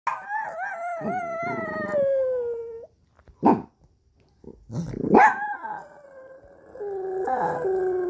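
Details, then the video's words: Dog howling after being startled by an ambulance siren: a long wavering falling howl with rich harmonics, then short yelping bursts and a rising cry settling into a steady held tone. "구급차 소리에 놀라 하울링 하는 강아지"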